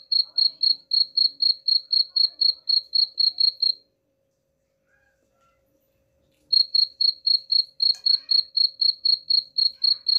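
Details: Cricket chirping played as a rat repellent, with rapid regular pulses roughly four each second, a long pause of close to three seconds, then the chirping resumes at the same pace against a faint low hum.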